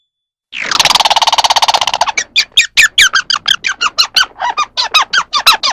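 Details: Squirrel calling with a harsh, buzzy rattle lasting about a second and a half, then breaking into a fast series of sharp, downward-sweeping chirps, several each second, against a silent background.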